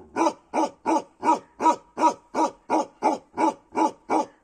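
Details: Bakharwal dog from Kashmir giving an even series of twelve deep, rough barks, close together at under half a second apart, very regular and loud throughout with nothing else heard.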